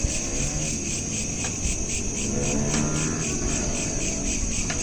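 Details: Nighttime crickets recorded by smartphone, looped: continuous high, evenly pulsed chirping with a few sharp clicks and a low steady rumble beneath.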